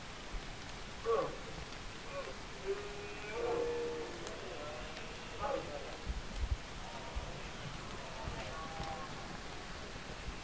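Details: Red deer during the 2024 rutting season (berrea): several hoarse, harmonic roars near one, three and a half and five and a half seconds, one drawn out with a steady tone, with fainter calls later over a rainy, rustling background.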